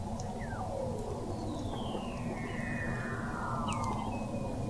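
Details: Weddell seals calling under Antarctic sea ice in McMurdo Sound, November 2017, captured 21 m below the ice: long smoothly descending whistles overlapping, short falling chirps and a brief steady tone, over a dense low rumble.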